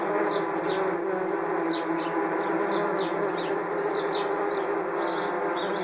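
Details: A large swarm of angry wasps flies around their nest high in a tree on a hot summer's day. A dense, steady droning buzz fills the whole stretch, while sparrows tweet short, falling chirps in the background.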